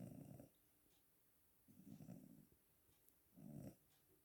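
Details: Sleeping cat snoring: three low, rough, rasping breaths spaced about one and a half seconds apart, with quiet pauses between them; nothing else heard.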